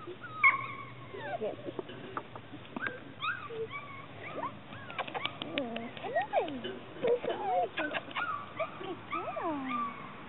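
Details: Chesapeake Bay Retriever puppies, three of them, being encouraged to walk and follow a person. They give high, thin whines and squeaky whimpers, bending up and down in pitch, scattered irregularly while a person talks softly.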